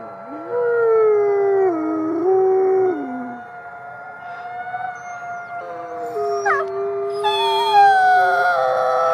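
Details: At the Wolf Conservation Center, South Salem, New York, gray wolves howl together at twilight: a rising howl steps up and down, then drops off, and overlapping voices join in with long, higher-pitched, wavering howls.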